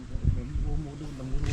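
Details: Male tiger calling during an evening safari in the Jhirna zone of Jim Corbett, after a peacock's panic call and while langurs call: a deep, low, droning rumble, steady through the short clip, with human voices nearby.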